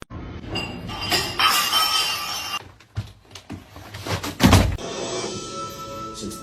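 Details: Music with thumps and a glassy crash over room sound, no animal voice present.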